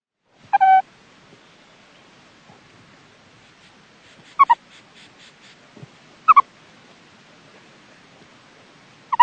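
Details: Meerkat. A meerkat calls in short, ringing bursts that drop quickly in pitch, each lasting a fraction of a second. The calls come every two to three seconds against an otherwise quiet background.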